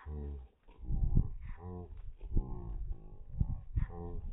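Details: Cane Corso searching for the cat indoors gives low, moaning, grumble-like vocalizations in short, uneven bursts, some rising and falling in pitch, with brief pauses between them.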